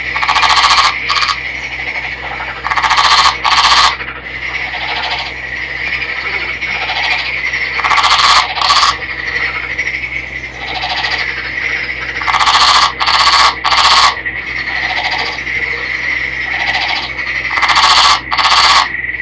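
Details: Captive male Nagoya Daruma pond frog, a green individual caught by net in a river, calling before embracing a female. Rough, rattling croak bursts, some doubled, come in irregular bouts every few seconds over a constant high-pitched background tone.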